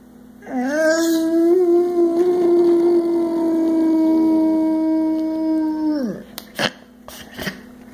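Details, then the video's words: Indoor recording of a 100 lb male Boxer, aged six, that loves to sing and howl: a single long, sustained howl begins with a slight rise, wavers gently, holds for about five and a half seconds, then drops away, followed by faint clicks. "Boo Boxer Singing"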